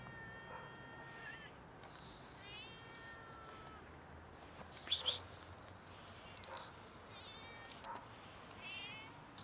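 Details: Several hungry cats meowing loudly while begging for food until fed; thin, harmonic meows rise and fall at scattered intervals, with a sharp clatter near the middle and faint background noise.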